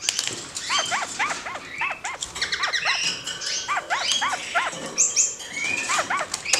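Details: A caged pair of kakariki, active and curious in their roomier cage, give rapid bursts of arched, repeated chattering notes in quick series throughout, with brief higher squeaks and light rustling.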